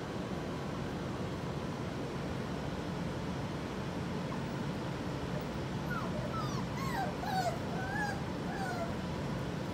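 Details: Puppies aged four weeks: six seconds of steady background noise, then a run of thin, falling whimpers and squeaks, several overlapping, carrying on to the end.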